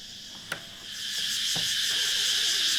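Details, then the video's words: Locusts heard on waking in the morning on Koh Yao Yai island, Thailand: a dense, steady high-pitched buzzing drone swells in after a faint click and continues unbroken. "Well, listening to the sound of locusts was not the ideal way I thought I'd wake up this morning, but the sun is shining, the birds are chirping, the roosters are"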